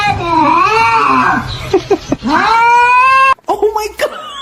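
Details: Cat in a funny cat meme compilation letting out long, wavering yowls that bend up and down, two drawn-out cries in close succession indoors, then a brief break and a short final mew.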